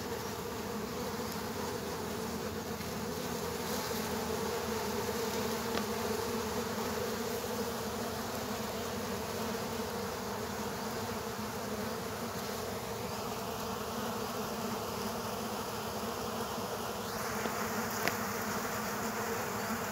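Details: Many killer hornets clashing with ground bees at their underground nest, a steady swarm drone throughout, a faint higher steady tone entering partway through, and a soft tap near the end.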